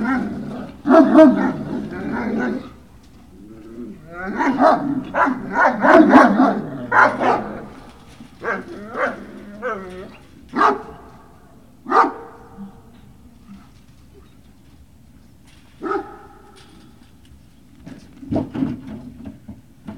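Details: Great Dane puppies at Puppy Hill, recorded 18 November 2018 in the early afternoon: bursts of high, wavering whines and short yelps cluster in lively runs, then thin out into isolated yips separated by quiet pauses.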